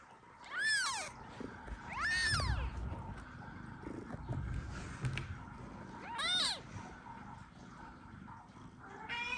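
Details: Kitten only an hour old calling for its mother cat Kira while not yet managing to drink milk; three thin arched meows spaced a few seconds apart over low rustling background noise, a faint further cry at the end.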